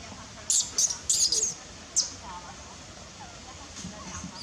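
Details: Crying baby monkey Nelson, angry and hungry, wanting milk from its mother: a quick run of four shrill, very high squeals within one second, one more squeal, then faint soft noise.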